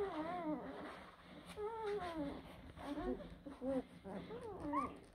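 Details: Several blue Great Dane puppies of two April 2023 litters whimper in overlapping, wavering whines, some sliding downward and others rising into a thin squeak at the end, over a low room hum.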